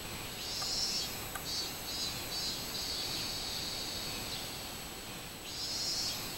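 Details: Robust cicada (minmin-zemi) singing, recorded 24 July 2016: a shrill, high buzzing song swelling in phrases of about a second, with softer stretches between, over steady broadband hiss.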